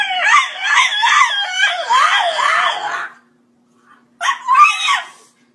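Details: French Bulldog making a funny talking sound indoors: a harmonic, wavering woo-woo moan that rises and falls in quick repeated swoops for about three seconds, then a short pause and a second, briefer rising whine.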